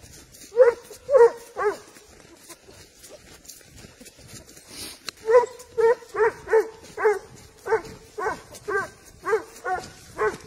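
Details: A Spanish Hound tracking wild boar gives loud, ringing barks in quick repeated bursts.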